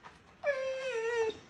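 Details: Pet husky Mati at home in a small room gives a single sustained, even-pitched howl lasting nearly a second, harmonics stacked above, ending abruptly. A person's coaxing voice comes before and after.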